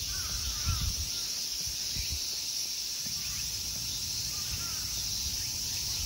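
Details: Insects in summer at the Ikegami Honmonji temple park in Tokyo, Japan: a steady, high, hissing drone runs without break throughout, with a few faint bird calls and low rumbling noise underneath.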